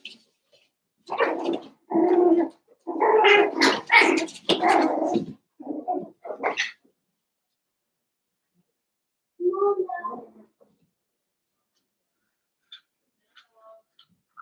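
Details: Cavalier King Charles Spaniel puppies, Daisy's six litter merged with Robin's two pups, playing together: a run of rough, overlapping barks and growly yaps for about five seconds, a pause, then a shorter burst of yapping.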